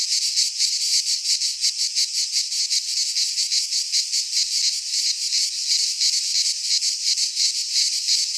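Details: Cicadas singing in midsummer in a Greek pine forest: a dense, buzzy high-pitched drone pulsing in rapid, slightly uneven beats, about three per second, with no other sounds.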